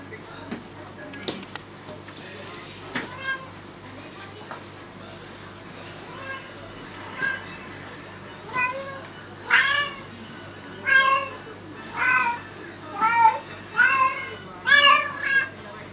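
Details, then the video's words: Domestic cat in heat calling: a series of drawn-out, wavering meows, quiet at first and then loud and regular, roughly one per second in the second half, with harmonics rising and falling; faint background hum. "my cat in heat"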